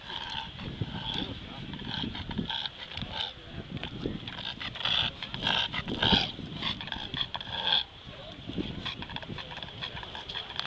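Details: Male bulldog, after a beach walk, struggles with respiratory trouble: irregular snorts and raspy wheezing breaths repeated in quick uneven bursts over a constant high-pitched hum.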